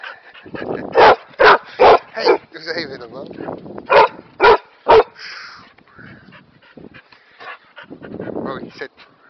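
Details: Kerry Blue Terrier, a male, barking during sit-and-stay practice: a run of about seven loud, sharp barks in two bursts, mixed with a person's speech and softer whimpering sounds.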